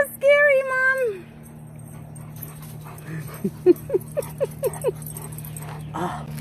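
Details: Alaskan Malamute indoors: a long drawn howl-like moan holding steady then dropping, followed by a quick series of seven short rising yips, with people talking and laughing in the background.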